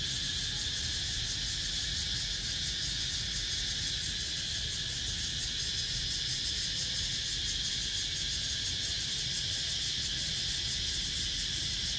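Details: Continuous shrill buzzing of cicadas, recorded 17 April 2023. The high, hissy wall of sound is evenly pulsed and never pauses. Only a light low rumble sits beneath it.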